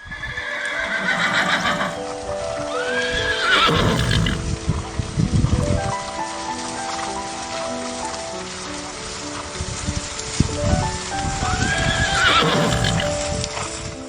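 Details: Horse on a farm whinnying twice, each call a shaky, descending, quavering neigh lasting about a second, around three and twelve seconds, over continuous background music with soft thuds.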